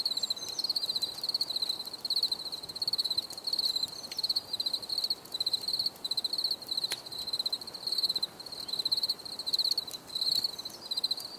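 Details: Cricket chirps from a calm nature recording: steady high trilled pulses repeated in short runs, almost without pause, with a few sharp clicks and soft background hiss.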